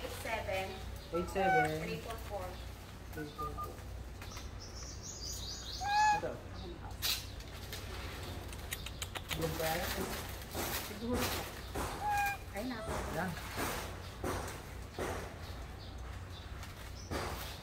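Philippine long-tailed macaques give short, tonal, harmonic coo-like calls amid sharp knocks and a steady low hum.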